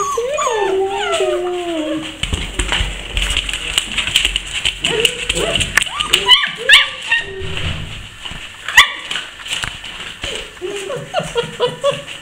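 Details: A litter of Basset Hound puppies at a Brazilian kennel. A clear descending whine opens, followed by scattered shorter squeaks and yelps among soft rustling and handling noises.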